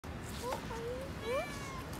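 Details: A British cat gives a few loud, short, nasal meows that slide upward, over a steady background hum.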